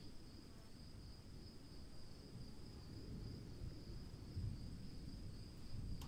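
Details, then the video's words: Cricket calling in the rain: a thin, steady high trill runs unbroken over a heavy, low rumbling wash of rainfall. "1 hour of cricket sounds in the rain"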